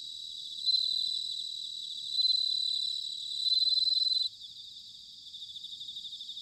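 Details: Bell cricket singing in autumn at Sanuki, Chiba, Japan: three loud, clear, ringing high trills, each under a second, spaced about every one and a half seconds over a soft background chorus of other crickets.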